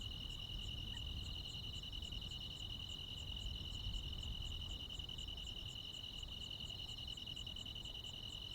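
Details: Crickets and other insects ringing out on a midsummer night in the countryside, a constant high trill with fast pulsing accents above it, plus a soft low background rumble and one brief faint chirp early on.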